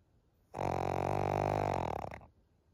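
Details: Senior pug Maria, a fawn female aged thirteen, in Japan in June 2023, gives one long, steady, droning snore with a rough, grunting buzz. It lasts about a second and a half and stops abruptly.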